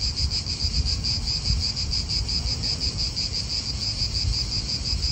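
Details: A high, pulsing cicada chorus in an Italian park, throbbing rhythmically and without pause, accompanied by low wind buffeting.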